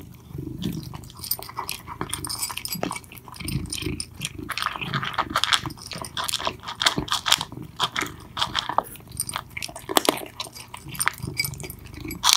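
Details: Two cats, Mittens and Mongo, eating loudly: dense wet crunching and chewing clicks in irregular bursts, with smacking and occasional low rumbles from handling.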